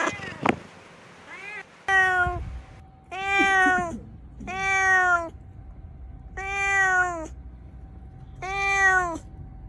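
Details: Meowing cat calling in a bamboo tree while searching for food: a series of six steady, flat-topped harmonic meows, each lasting about half a second and coming roughly every second and a half, over a faint constant tone.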